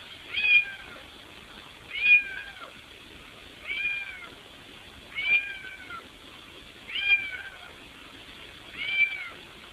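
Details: Cat meowing while trying to squeeze through a window into the house; six clear arched meows, each rising then falling, repeated roughly every one and a half to two seconds at a steady insistent pace.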